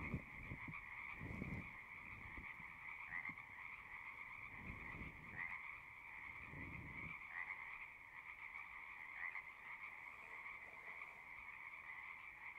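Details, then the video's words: Frogs singing at a pond in a horse pasture, recorded on a Zoom recorder: a dense, steady trilling chorus with two bright bands, a few louder individual calls standing out, and low thumping rumbles near the start and middle. "Frogs singing"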